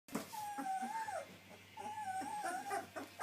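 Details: White German Shepherd puppies, just starting to sit up and walk, give two soft, wavering whimpers that rise and fall, with a quiet indoor hum beneath.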